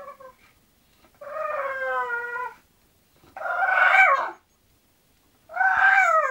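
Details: English Bulldog Zenuś going to sleep, giving three drawn-out vocalisations about two seconds apart: a sliding, slightly falling whine, a hoarse groaning moan, then a falling whimper, with silence between.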